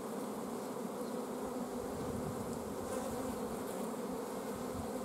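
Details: Honey bee colony in an apiary on 14 June 2016, its queen blocked from laying because of a lack of forage, humming as a steady, dense low drone with layered overtones and no pauses throughout.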